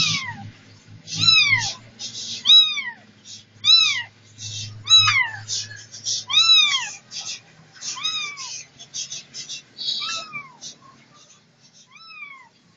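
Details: Repeated meowing from Setty the cat: a steady string of rising-then-falling, slightly whiny mews roughly one per second over thirteen seconds, fading quieter toward the end, with faint low room noise beneath.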